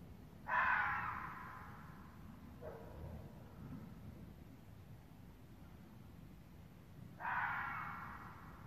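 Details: A vixen red fox gives two harsh, raspy screams several seconds apart, recorded near Damascus, Maryland, around 8 PM on November 24, 2017.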